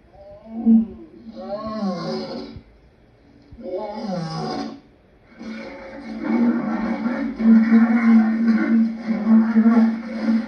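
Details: Lion calling: two moaning, arched harmonic calls rising then falling, followed by a longer, louder, rough sustained roar that holds steady to the end.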